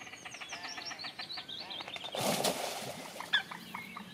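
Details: A Eurasian beaver in Almere, Netherlands, on 16 May 2015, gives a rapid series of thin, whiny, chick-like cries, broken by a brief rushing splash.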